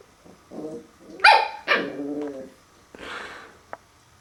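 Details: Puppy meeting a mirror for the first time gives a low whine, then two loud sharp barks and a trailing growly whimper, followed by a breathy huff and a faint click.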